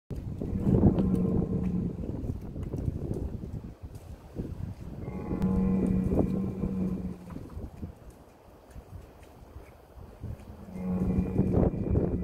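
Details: Heck cattle bull calling its herd in Kottersbos, Oostvaardersplassen, Nationaal Park Nieuw Land, Netherlands, 10 March 2021, during a feeding action: three long, deep, droning moos with steady pitch, each lasting about two seconds, over rumbling background noise.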